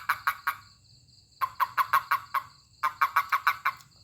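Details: Toad giving a call as it is handled by a person: three short runs of quick, croaking pulses, five to seven pulses per run, with a constant high-pitched insect whine behind.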